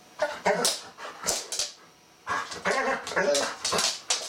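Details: A pet Golden Retriever, excited at the sight of a bristlenose catfish it wants to play with, gives short, repeated whining yelps in quick bursts, with a quiet pause midway before the eager cries resume.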